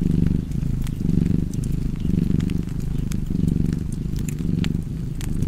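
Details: Domestic cat purring in a deep, steady rumble that swells and eases in cycles roughly once a second, set against the sharp pops and snaps of a crackling fireplace.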